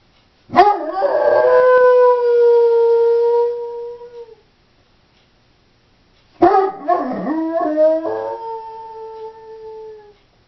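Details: Female Doberman howling when left home alone; two long, drawn-out howls of about four seconds each, starting with a rough waver then holding a steady falling tone, separated by a short silence.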